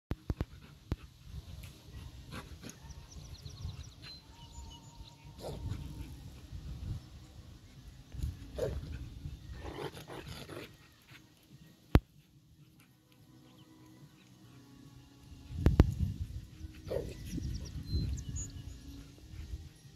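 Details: Dogs fighting: a Labrador and a husky-shepherd mix attacking a Dachshund. Low rumbling growls and scuffling throughout, with louder bursts of snarling and yelping around the middle and again near the end, and one sharp click.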